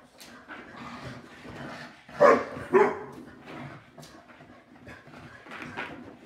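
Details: Shar Pei Yum Yum and Boston Terrier Bunny in their nightly five-minute play bout. Low growly rumbling runs throughout, broken by two loud barks in quick succession midway, then a softer yip near the end.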